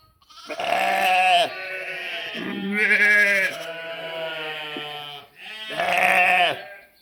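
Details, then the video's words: Sheep and lambs bleating. Three long, quavering bleats about two seconds apart, with a lower, steadier bleat running between them. A person speaks briefly afterwards. "Funny sheep and cute lambs bleating, making noise"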